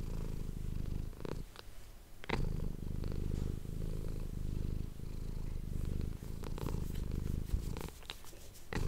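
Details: Close-miked purring of a pet cat for ASMR: continuous deep buzzing rumble that swells and dips with breathing, broken by a brief pause near two seconds and by light rustling and tapping noises toward the end.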